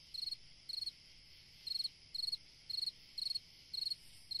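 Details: High, pulsed cricket chirps on a summer night, each a brief trill of several clicks, repeated evenly about twice a second with one longer gap; steady faint hiss behind.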